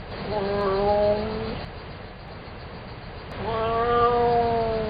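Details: Domestic cat meowing: two long, drawn-out meows, each starting with a rise and then holding a steady tone while slowly falling, separated by a pause of about a second and a half, over a low steady background hiss.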